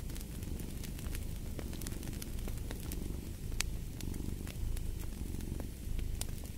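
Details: Cat purr as a soft, throbbing low drone pulsing with each inhale and exhale, overlaid by popping and crackling logs in a fireplace.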